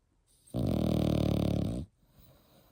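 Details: French Bulldog puppy, eight months old, gives a single drawn-out rumbling snore lasting over a second, low and rattling, in a quiet indoor room.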